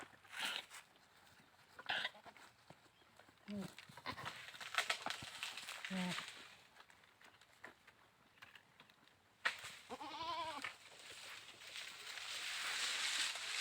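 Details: A goat bleats, short and nasal, with a longer wavering bleat near the end, over background voices.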